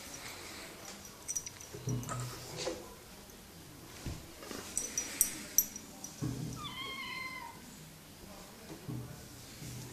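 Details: Bengal kitten with a cat wheel utters a single brief, slightly descending harmonic meow around the seventh second, surrounded by soft thumps, rustling and sharp high clicks.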